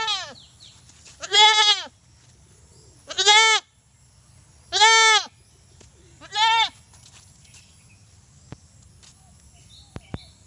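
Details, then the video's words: Loud, harsh bleats from a desi goat: four strong wavering calls in quick succession, then a quiet stretch with only faint clicks and a low hum. "Funny Goat Sound"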